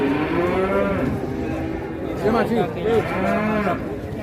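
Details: At a crowded Indonesian cattle market where two huge cattle have just arrived, several low moaning moos rise and fall in short bends. A longer low call closes the sequence over steady murmuring voices and market noise.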